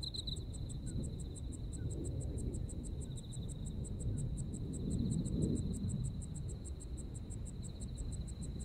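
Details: Insects calling on a Japanese autumn night: evenly spaced high ticking pulses repeat steadily throughout, a faint thin trill runs beneath them, and a deep low rumble swells in the middle.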